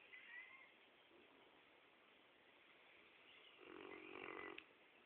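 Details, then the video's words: Sleeping Rottweiler dog snoring softly: faint breathy rasping, then one louder, rough, drawn-out snore swelling for about a second near the end before fading back to quiet breathing. "rottweiler dog snoring"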